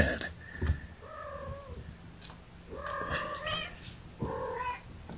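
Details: Kittens from Gamora's five-kitten litter, born April 14, cry from a lap indoors. There are three drawn-out, wavering mews, each with a slight rise and fall, plus soft rustling and a low background hum.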